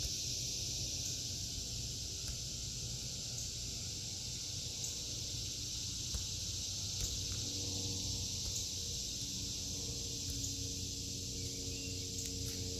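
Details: Cicadas sing a constant high-pitched droning buzz in a vegetable garden during August 2023, while faint low tonal hums drift in and out underneath.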